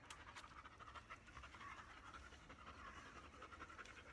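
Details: Black Labrador Retriever named Bee, shedding her undercoat, pants steadily while being brushed indoors; rapid breathy puffs run continuously through the clip with faint brushing rustle.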